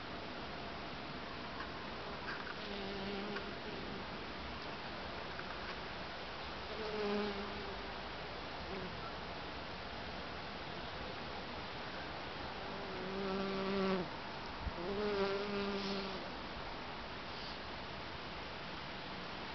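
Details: Honey bees working a back-garden wildlife patch, flitting from flower to flower while foraging; low droning buzzes swell and fade as bees pass close, four or five short passes scattered through the clip over a steady background hiss.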